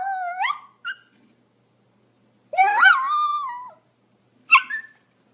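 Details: Pomeranian producing high, thin whining yelps with rising and falling pitch, a long wavering whimper in the middle and a short sharp yip near the end.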